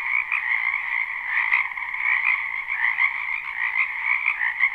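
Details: A crowd of frogs croaks in a spring wetland beside a house, captured live: the sound is a thick, trilling wall of overlapping calls, with small rises and falls and one brief sharp click.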